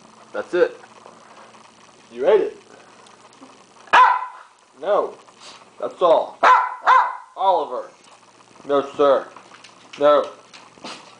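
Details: After his hamburger, hungry dog Oliver keeps 'talking', with a string of about a dozen short, arched, moaning yowls and grumbles in quick, irregular succession. A person speaks briefly between them.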